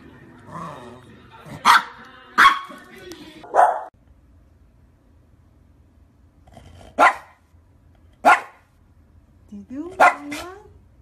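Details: Maltese dog barking in a compilation of Maltese dogs and puppies doing tricks: sharp bark bursts, three close together, then two more spaced about a second apart and a final pair, with speech early on.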